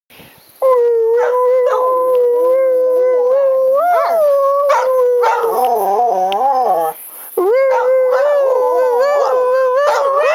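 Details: A dog howls in long, wavering, mid-pitched tones that rise and fall, "singing" along with its owner to the song "Crying Time," while a second dog briefly joins as backup singer.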